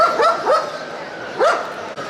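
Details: Can de Palleiro, a Galician shepherd and guard dog breed from Spain, giving short yelping barks that sweep upward in pitch: three quick ones in the first half-second, a pause, then a single bark near the end over a steady background hum.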